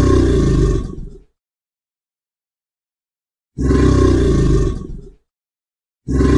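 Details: An American alligator at a zoo gives deep, rumbling bellows in short bursts, separated by silent gaps.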